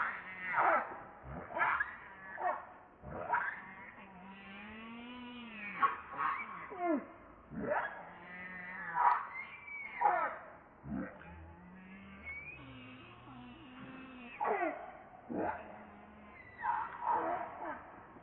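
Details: Baby monkey Leo, hungry for milk, cries to its mother in a long run of harmonic wails, some rising then falling, others dropping steeply, repeated every second or two, with short quieter gaps between.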